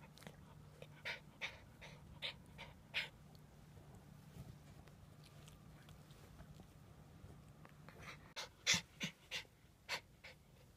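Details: A Shiba Inu puppy, its baby canine tooth about to fall out, pants and sniffs in quick, airy puffs, several per second, with brief snorts, over a faint low electrical hum.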